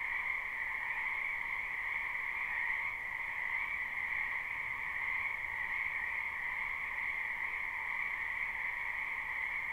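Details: Many frogs croak in a spring wetland behind a house, recorded live: a dense, unbroken chorus of shrill trilling voices in two steady pitch bands, one higher and one lower, with no pauses and no other clear sounds.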